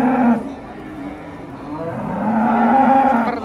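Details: Cattle in Indonesia shortly after Eid al-Adha: a low, drawn-out moo with a steady harmonic tone, set against background music.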